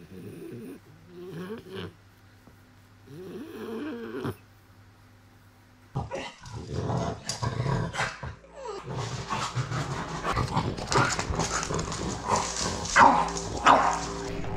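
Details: French bulldog that trades sticks found in the forest for food, making rough grunting, growly snorts in short bursts, followed by rustling, handling noise and louder scuffling.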